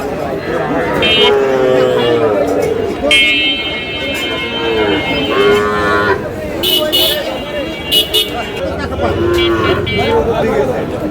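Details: At a busy cattle market on 3 June, a Comilla farmer buys Sahiwal bull calves. Several separate lows, each roughly a second long, rise over constant human chatter, and a vehicle horn blares in the middle.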